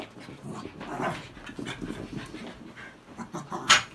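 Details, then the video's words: Cairn Terrier dogs fighting, a second round of the scuffle: rough low growls and snarls in short bursts, with heavy panting and a sharp yelp near the end, and a person speaking over them. "Cairn Terrier dog fight, ROUND 2"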